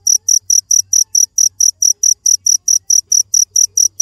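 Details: A cricket gives about seventeen crisp, shrill chirps in four seconds, evenly paced, with a faint low hum underneath.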